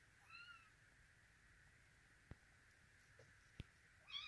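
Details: Russian Blue kitten in Vancouver giving a thin, wavering meow near the start and another rising meow at the end. A pair of sharp clicks sits between them, with a constant hum underneath.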